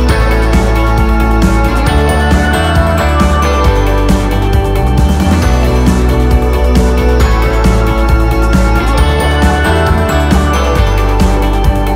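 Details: Loud upbeat background music with a steady beat plays throughout, and no animal sound is heard.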